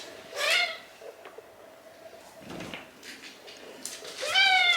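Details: Shiba Inu named Hachi indoors at home, lonely while his owner is out shopping. Two high, tonal whines with stacked overtones, each sliding slightly downward, open and close the moment, separated by a quiet stretch with a faint steady hum.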